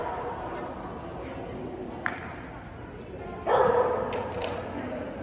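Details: One abrupt, loud bark from a Boston Terrier, recorded at an AKC Boston Terrier Club gathering in January 2022, stands out against murmuring voices and a few faint clicks and knocks.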